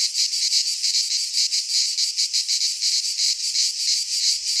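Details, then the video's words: Cicadas singing in midsummer in a Greek pine forest: a dense, buzzy, high-pitched drone that pulses about three times a second and never lets up, with no other sounds heard. "4K Cicadas singing in midsummer - Nature sounds from the Greek fauna - Sounds of cicadas"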